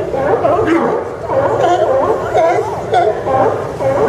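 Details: Sea lions barking at the Newport Sea Lion Docks, Port of Newport Town Dock on Yaquina Bay, Newport, Oregon, September 20, 2015: dense overlapping hoarse barks from many animals, nearly continuous, with a crowd-like chatter quality.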